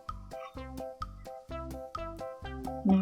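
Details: A short bouncy jingle of repeated tinkling notes over a soft beat, with no animal voice heard.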